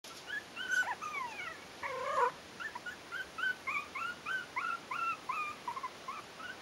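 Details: Four-week-old Yorkshire terrier puppies from a breeding kennel, litter "A", giving a steady series of short, high, rising and falling whimpers and squeaks, some overlapping, with one louder drawn-out whine in the middle.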